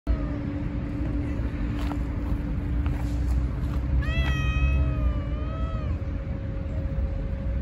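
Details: Stray cat giving one long, drawn-out meow that rises and then slowly falls, lasting about two seconds, over a steady low rumble of outdoor traffic-like noise and a faint constant hum.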